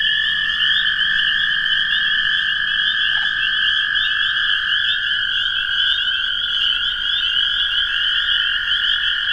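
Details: Mixed chorus of toads and spring peepers: a dense, continuous high trilling band with overlapping peeping notes, steady throughout with no pauses.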